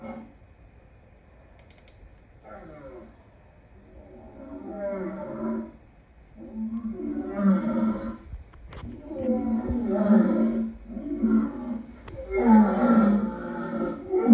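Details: Lion calling in a growing series of guttural roars, starting faint and building into loud, clustered bursts in the second half, with a sharp knock partway through.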